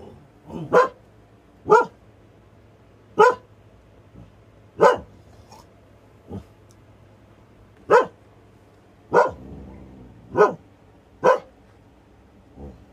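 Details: Siberian Husky named Nora barking at a plastic bag in her yard, her sister Freya nearby; sharp single barks spaced one to two seconds apart, about nine in all, with a low steady hum beneath.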